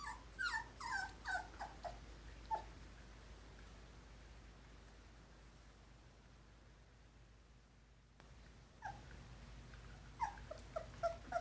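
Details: Newborn Poodle litter of five brindle and parti-colored puppies, two weeks old. Squeaky whimpers cluster in the first few seconds, then a long quiet stretch follows before another short burst of thin, high yelps near the end.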